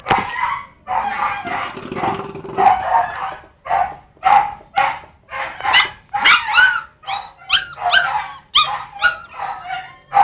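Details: Several puppies yipping and barking in a steady stream of short, high, squeaky calls, roughly one or two each second, some with a rising or falling whine.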